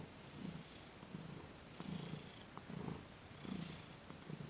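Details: Thomas the cat purring softly during a massage and Reiki session on December 28, 2021, as his sensitive paws and legs are gently worked; a low, quiet rumble pulsing in breath-paced waves roughly every three-quarters of a second, with faint airy hiss above.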